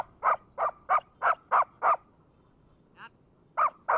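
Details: Six brisk, regular barks from a Labrador with a brick, a short silence with a faint high squeak, then two more barks.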